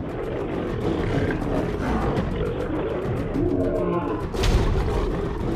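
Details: In the African savanna, a dominant male lion defends his lionesses and territory against a solitary intruding male, and the fight brings deep, rasping roars and growls, with music in the background.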